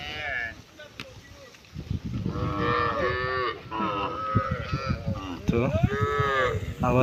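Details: A herd of many cows found together on a road: a run of long, bending moos, partly overlapping and rising and falling in pitch, set against continuous low background rumble.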